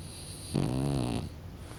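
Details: French Bulldog named Kokubo dozing off, giving a single rasping snore of under a second, a low, buzzy, harmonic rumble that swells and fades in a quiet room.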